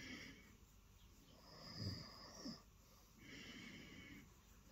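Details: Lilo the cat purring on a bed in the early morning after jumping up for attention; soft breathy rumbling rises and falls in slow phases, swelling louder mid-clip, indoors and quiet.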